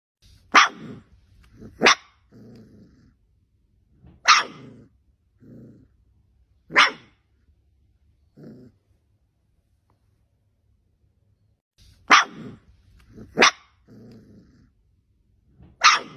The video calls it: Puppies Barking Sound Effects High Quality Animal Sounds Library